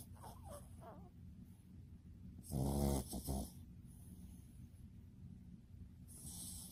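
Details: Pet dog named Bbomi, asleep, gives one deep, rumbling snore lasting under a second amid quiet background hiss, with faint soft breathing sounds before it.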